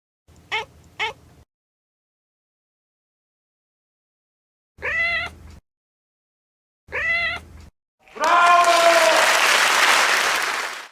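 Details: Domestic cat making strange an-an, aan meows: two quick clipped cries, then two longer drawn-out harmonic meows separated by silence, followed by a loud rushing burst of broadband noise resembling applause.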